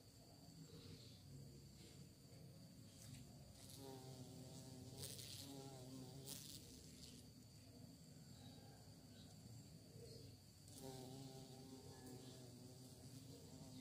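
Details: Bee searching for prey: low droning hum with wavering harmonics that swell near the middle and again toward the end, over a steady background hiss and faint high clicks.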